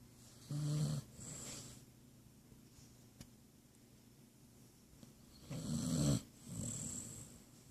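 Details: Sleeping basset hound snoring indoors: two low rumbling snore breaths, one near the start and one near the end, each followed by a hissing exhale, with quiet breathing between.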